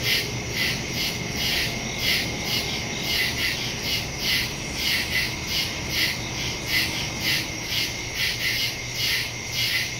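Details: Many crickets calling after dark in the woods, September 2, 2023, Samsung Galaxy S22 Ultra with Shure MV88+ microphone; shrill throbbing chirps repeat steadily, layered with a constant high drone and a faint low hum.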